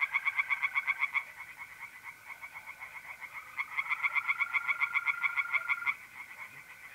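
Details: Tree frogs singing in a pond on a mid-April night in North-East Italy: fast runs of harsh, pulsed croaks, about four per second, in bursts of one to three seconds, over the steady, unbroken trill of mole crickets.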